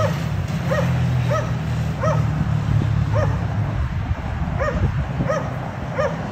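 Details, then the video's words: Dogs barking at a condo, disturbing the neighbours three times every day: repeated single yapping barks at regular intervals of about two-thirds of a second, with a steady low hum underneath. "Disturbing noise by Dogs barking"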